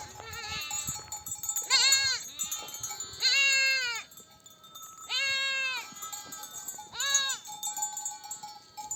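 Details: Nomadic flock back from desert pasture, mother sheep bleating for their lambs to suckle; quavering harmonic bleats roughly every one to two seconds, some higher and shorter, over quiet background with a faint steady tone.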